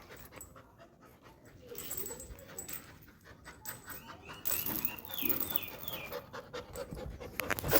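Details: Laura, a female pet Labrador Retriever, is playful during the morning toothbrushing after taking her owner's brush and climbing onto a person. Breathy panting is followed by a run of short, high, rising whines, with a woman speaking Tamil nearby.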